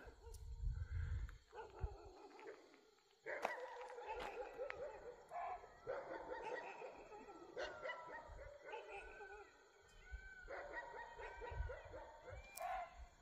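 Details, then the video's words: Dogs in Rajaji Tiger Reserve, India, at dusk, barking in response to a barking deer's alarm calls, which followed langur alarms at a tiger. Rough, harmonic barks come in dense overlapping bursts, with short gaps, over low rumbling background noise. "वो बार्किंग डियर की आवाज को सुनके एक कुत्ता यहां से भोक रहा है"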